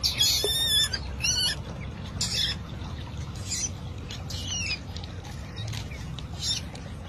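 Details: A young otter discovering water for the first time gives shrill, squeaky chirps in quick, uneven bursts, roughly every half second.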